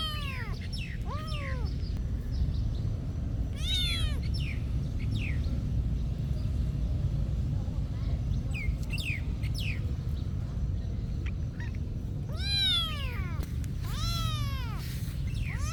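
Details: Cats at a monastery meowing on and off for about sixteen seconds, scattered short cries and longer bowed meows, some in quick clusters, with a low steady background rumble.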